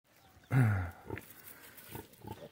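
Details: Small piglets: one loud, low grunt of about half a second, then quieter snuffling and soft rustling nearby.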